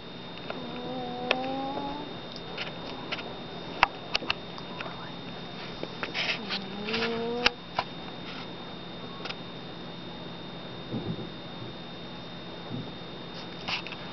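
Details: Chubby pet cat Midnight snoring while asleep indoors in a basement: soft, whistled, slightly rising tonal snores in two bursts, with faint clicks and a steady electrical hum.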